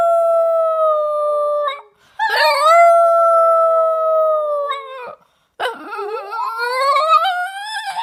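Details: A female Boston Terrier howls along with her owner's funny sounds, as she often does after waking in the morning, giving long, steady howls that end in a wavering, rising howl alongside a person's voice.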